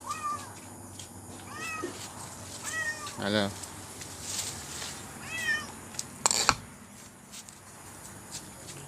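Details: Orange stray cat in Thailand, visiting late at night to be fed mackerel or fried squid with rice, gives several short rising-falling meows about a second apart while a man talks nearby, with clicks and handling noises.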